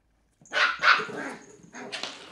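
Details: Three-month-old female Cairn Terrier pup playing with an empty bottle: two sharp, loud barks in quick succession, then a softer yappy bark about a second later.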